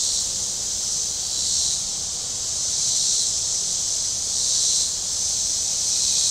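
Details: Warm-day cicada chorus from the shore of Table Rock Lake in southern Missouri: a hissing, high buzz rising into broad swells roughly every three seconds, then easing back.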